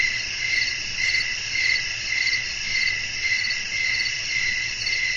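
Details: Crickets sing through a night-time natural scene with wind blowing, a relaxing sleep recording; bright ringing chirps swell and fade in a regular beat near two per second, nothing else standing out.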